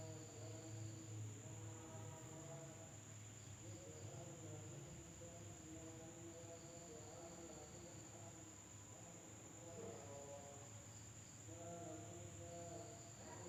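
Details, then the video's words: Insects heard at night in an Indonesian village, a continuous high, thin whine throughout, joined by recurring bursts of lower, layered tonal calls and a faint low hum at the start. "the sound of insects at night in the village of Indonesia SUARA SERANGGA MALAM HARI"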